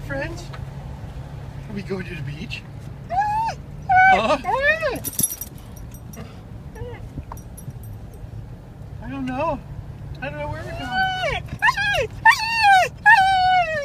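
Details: Akira, a dog, excited on the way to the spit to play with her friends, gives scattered high whines that grow into a burst of falling, drawn-out whimpers near the end, over a steady low vehicle hum and a person talking.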